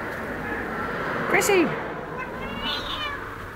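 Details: Talkative female cat about twelve years old, giving one short meow that rises and then bends down, with a woman repeatedly calling to her in a room.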